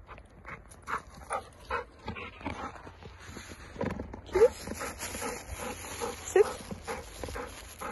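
A hungry Golden Retriever begs with soft, brief whimpers among bumps and rustling.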